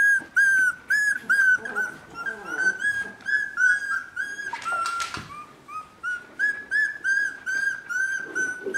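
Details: Border Collie puppies at three weeks old whine almost continuously: high, steady tonal cries, each slightly rising then falling, coming roughly two or three per second, with a brief noisy rustle in the middle.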